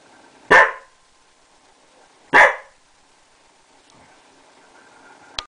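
A Bearded Collie gives two loud, sharp barks about two seconds apart.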